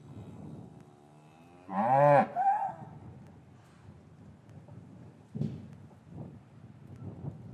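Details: Cattle in a traditional English farmyard on a winter afternoon after the calves were taken from their mothers; a single loud, arched moo lasting about half a second stands out, with a few soft low grunts and quiet yard rustling afterwards.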